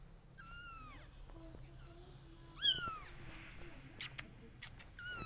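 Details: Mother cat calling to her kittens, wanting them to follow: high arched meows, one near the start and a stronger one near three seconds, another at the end, with faint clicks and rustling between.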